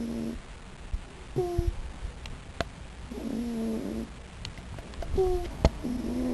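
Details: Sleeping raccoon snoring indoors: drawn-out buzzy, harmonic rasps about a second long alternate with short squeaky whistles on the intake of breath, then quiet pauses, with faint room noise.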